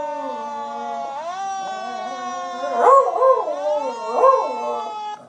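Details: Lily the Beagle howls at a passing fire truck siren, which holds a steady tone, then steps up in pitch. Two loud wavering howls with arching, rising and falling pitch follow, over the continuous siren.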